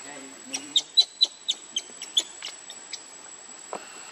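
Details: Baby monkey crying as it begs its mother for milk and is refused; a quick run of short, high, squeaky chirps, about eight within two seconds, over a faint steady hiss.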